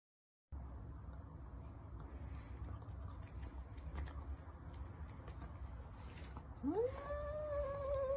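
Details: A pet cat gives one long meow that rises sharply, then holds steady and bright until the end, after several seconds of low room noise.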